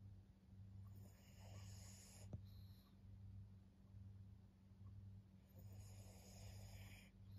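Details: Snoring of Maria, a senior female fawn pug aged fourteen, in Japan: quiet airy rasps at the start and end of the stretch, with a constant low hum underneath.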